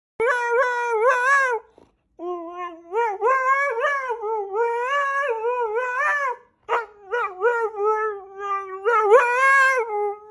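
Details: Siberian Husky vocalizing in a long series of yodelling, wavering howls with rising and falling pitch and rich harmonics, broken by short pauses, loud and close, nothing else clearly heard.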